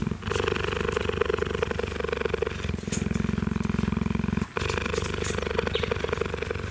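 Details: Male cheetah purring, a rare event for him, as meerkats groom his fur and he settles into contented calm. Low, fast, rhythmic rumbling pulses, strongest in the middle stretch, with a steady mid-pitched hum and light rustling.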